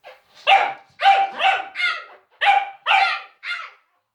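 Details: Scared Cavalier King Charles Spaniel barking at silliness indoors: seven sharp, harmonic barks in uneven bursts over four seconds, some paired closely, with a woman briefly speaking to the dog afterwards.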